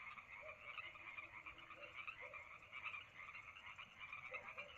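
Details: Lakeside frogs at Lake Madrone on a summer night, a thick chorus of quick rattling pulses that swell and fade, with several short, deeper croaks scattered through.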